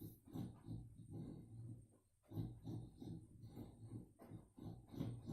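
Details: Sleeping female boxer dog dreaming and snoring, recorded on a mobile phone: rapid, rough, low snorts in quick succession, pausing briefly midway before resuming.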